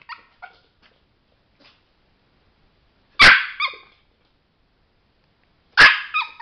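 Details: Trained male Chihuahua, eager to press a button to make light, lets out a few faint ticks and soft sounds, then two loud, high, clipped barks spaced about two and a half seconds apart.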